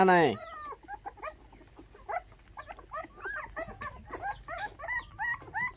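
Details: Five orphaned puppies, bottle-fed with milk after dog thieves took their mother when they were six days old: after one loud falling cry, a stream of short, thin squeaks and whimpers rising and dipping, close together, over a low background hum.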